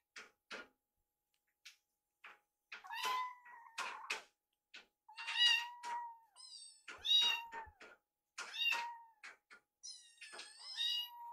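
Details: Rescued kittens at mealtime indoors, one sneaking leftovers from the other's food: repeated high, drawn-out meows, some bending downward, mixed with sharp clicking and tapping sounds from eating and the bowl.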